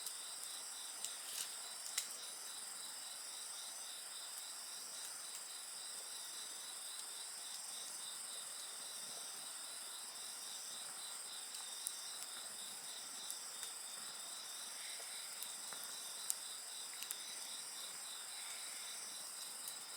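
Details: A steady wall of insect song: a bright continuous buzz high up and a rapid rhythmic pulsing trill that never pauses. Sharp pops from a burning campfire break in every few seconds.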